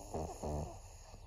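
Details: Senior fawn pug Maria, a 14-year-old female in Japan, September 2024: two short, throaty snores with a buzzing, harmonic rasp, each lasting a fraction of a second, followed by softer breathing in a quiet room.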